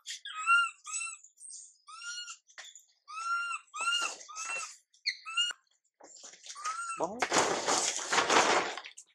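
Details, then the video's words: Little monkey Mila cries out, unattended by her mother Milika. Broken, high, quavering wails come in quick uneven bursts, then give way to a long raspy, noisy scream. "Mom MILIKA doesn't care monkey MILA cry, PIty girl MILA cries out"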